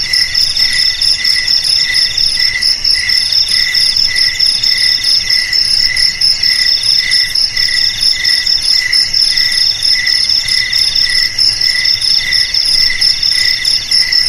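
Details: Crickets sing a continuous high, ringing trill broken into rapid rhythmic pulses, layered in several shrill bands, against a faint low background rumble.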